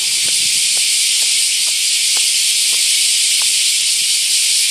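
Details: A summer 2019 chorus of bear cicadas at Daitokuji Park in Nagasaki, Japan, around a huge camphor tree: an unbroken, high, sizzling drone that holds level throughout, with a man speaking softly underneath.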